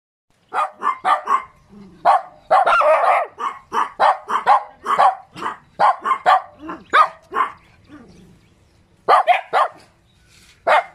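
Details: Cute little dog barking: rapid, sharp, mid-pitched barks in quick clusters, many in a row, with a brief lull before a final burst of four more.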